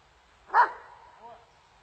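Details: Dobermann in training in Germany giving a single loud, abrupt bark that trails off, followed by a faint short whine in a quiet setting.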